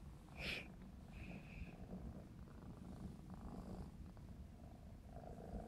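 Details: Playful 4½-month-old black smoke Maine Coon kitten Clarence purring; soft low rumble under a short high squeak at the start and a brief whistle-like tone shortly after, with light rustling.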